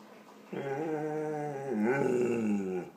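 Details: One pet dog voicing dislike of an air pump indoors: a continuous, steady harmonic growl-whine lasting over two seconds, dipping and rising once midway, in a small quiet room.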